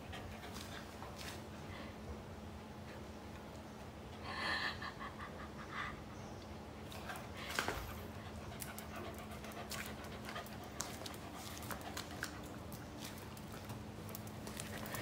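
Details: Female Pembroke Welsh Corgi panting indoors while running around the house and playing hide and seek; soft breathy bursts over a steady low electrical hum, with a brief louder tonal sound near the middle and scattered clicks.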